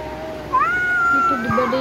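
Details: Domestic cat amid talk about a fight between cats: after a half-second of murmuring, one drawn-out, steady meow holds a single tone for nearly a second, then breaks into shorter wavering notes.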